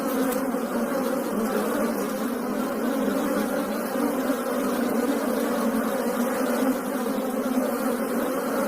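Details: A dense swarm of Asian honey bees (Apis cerana indica) gives a steady, low, continuous buzzing hum.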